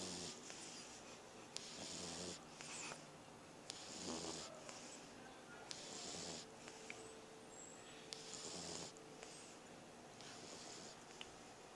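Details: A French Bulldog snores steadily while sleeping, recorded August 7, 2010; each rough, breathy rasp comes roughly every two seconds.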